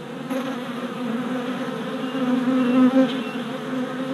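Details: Continuous humming buzz of worker honey bees flying orientation loops in front of a freshly installed hive, 27 April 2017, filmed with a GoPro Hero Session 5; the drone grows louder toward the end as bees fly close.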